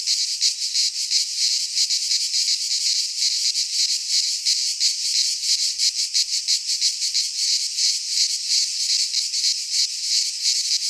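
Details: Cicadas in a Greek pine forest during midsummer, producing a loud continuous high buzz that throbs in fast pulses around three per second throughout, background otherwise quiet.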